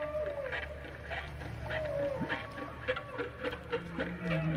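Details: A big whale gives drawn-out, curving moans that rise and fall over a steady low engine hum.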